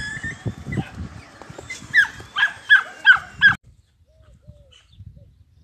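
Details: Belgian Malinois puppies in Turkey: after a stretch of rustling and handling noise, five short, sharp, high-pitched yelps in quick succession, then the clip falls almost silent apart from soft faint sounds.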